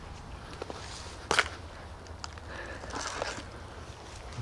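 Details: Footsteps and faint speech outdoors, with a sharp knock near the middle over quiet rural background hiss; no animal calls.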